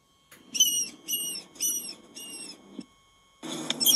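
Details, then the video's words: Piercing rat squeaks, four even chirps about half a second apart. Then a brief silence and the start of a louder, noisier burst. A faint rustling hum runs beneath the squeaks. "Tiếng chuột kêu chít chít| Rat sound| Mouse sounds"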